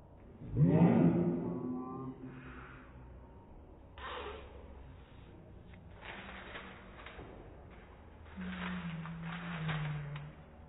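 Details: Pet Dachshund sneezing in slow motion; a loud, low, smeared burst opens the recording, followed by softer breathy puffs and a long low droning tone, everything slowed and deepened.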